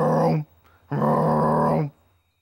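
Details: A male American bullfrog calls at dusk with deep, droning notes, a short one and then a longer one, said to sound like 'jug-o-rum'.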